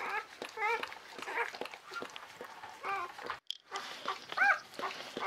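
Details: Czechoslovakian Wolfdog pup, newly born on 21 November 2020 to mother Orizon and sire Rahan, gives short thin squeaks scattered through background rustling and handling noise while the mother tends another pup.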